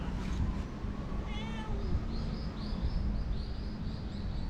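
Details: Talkative stray cat uttering one faint, brief mew partway through, followed by a run of thin, high chirping sounds over a constant low hum of outdoor noise.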